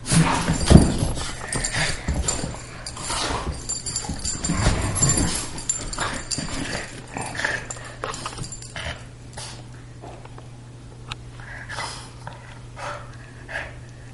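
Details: Two household dogs, a greyhound and a Boston terrier, in daily rough play; loud growly bursts early on, then fading to scattered snorts, scuffles and thumps against a constant low hum.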